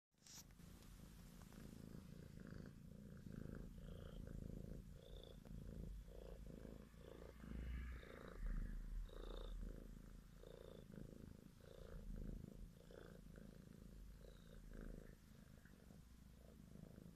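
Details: Grey green-eyed domestic kitten, one of a litter of four born February 2017, purring while being petted indoors: steady low rumbling pulses, several per second, with faint higher tones drifting above.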